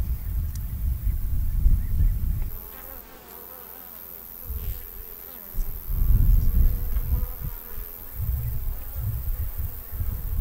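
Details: Honey bees in Armenia, where beekeeping has centuries of history with Armenian yellow and mountain grey bee breeds, buzzing in dense low rumbling swells that fade and return, louder near the start and after six seconds.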